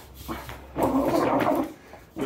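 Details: Growling Patterdale Terrier at tug of war play, a steady, harsh, rattling growl held for about a second, preceded by a faint short sound, indoors with slight background noise.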